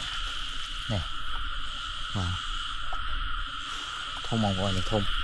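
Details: Frogs in rice fields during rainy weather while being caught; a few deep, harmonic croaks sweep downward near the start, middle and end, over a steady high insect hum and low rain-soaked background noise.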